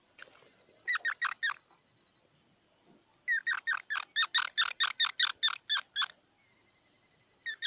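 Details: Squirrel calling in a steady chatter, a short run of four harsh chirps, a pause, then a long even series of about a dozen raspy notes at roughly three per second, with a faint hum behind.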